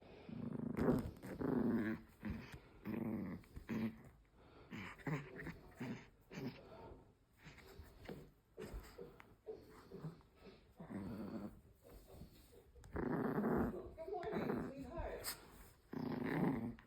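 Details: Angry Chihuahua puppy growling indoors, a low rumbling hrrrr in repeated pulses of one to two seconds, rising and falling in loudness throughout.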